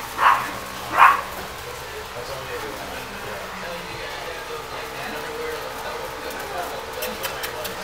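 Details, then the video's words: Playing Griffon x Yorkie puppies: two sharp high yaps in the first second, then a long stretch of soft room noise with faint scuffling and a few light clicks near the end. "Designer Griffon x Yorkie puppies playing"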